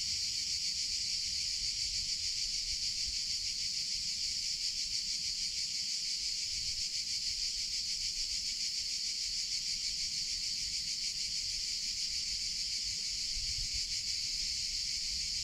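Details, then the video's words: Summer cicada chorus: a continuous loud high buzz with a fine rapid pulsing texture, holding an even level from start to finish with little else audible. "CICADA SOUNDS - Sound Effect of Cicadas in Summer Sounds of Cicada (Chicharra, Campanero)"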